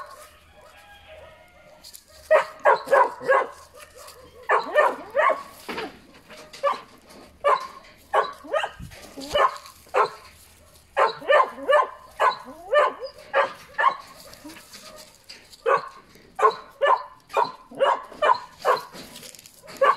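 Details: Puppies barking in a long excited run of high yaps, rapid and uneven, often in clusters of two or three, after a quiet whiny opening.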